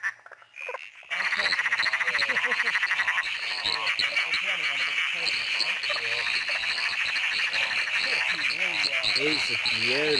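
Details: Southern emerald spotted tree frog (Litoria tyleri, laughing clown frog) in a back yard giving a fast, continuous run of rattling, cackling pulses, high and harsh, its call distinguishing it from the similar emerald spotted tree frog; a man's voice faintly underneath.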